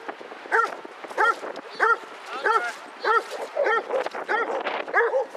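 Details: Basset Hounds, part of a pack of 22 walking round Hazlehead Park in Aberdeen on 2 February 2014. Loud, rounded baying barks repeat about every two-thirds of a second in a fairly steady rhythm, with faint voices behind.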